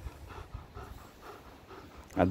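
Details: German Shepherd panting while playing with a ring on a morning of about 20 degrees: soft, breathy rhythmic pants, roughly one every 0.4 seconds, ending with a sudden burst of a man's voice.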